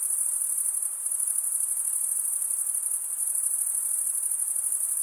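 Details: Steady cricket stridulation, a thin high-pitched continuous trill with a faint fast pulsing texture, even in level from start to finish, nothing else audible.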